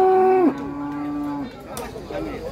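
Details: Giant cattle coming off a truck in Situbondo, Indonesia, one animal raging; a loud moo drops sharply in pitch, then holds as a flat, low drone for a second before ending, with people talking afterwards.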